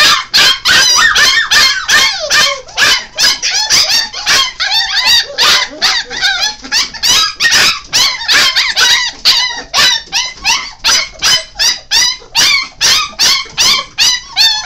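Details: Five-week-old Golden Retriever crossed with Alaskan Malamute puppies yelp and whimper in quick succession, piercing cries with upward and downward slides, roughly two or three per second, several pups calling at once.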